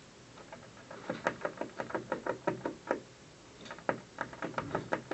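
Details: Squirrel on a windowsill chewing at an office building in the afternoon; rapid dry gnawing clicks come in quick bursts, roughly three per second, with short pauses, against a quiet indoor background.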